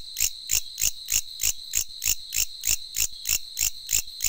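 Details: A katydid calling late at night in Vietnam gives loud, rasping, high-pitched pulses at a steady pace of about three per second, with nothing else audible.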